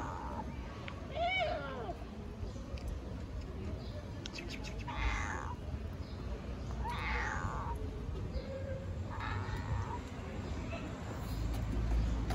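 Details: Newborn kittens in Istanbul searching for their mother cat; a thin kitten mew, then several short mewing calls spaced about two seconds apart under constant low outdoor rumble.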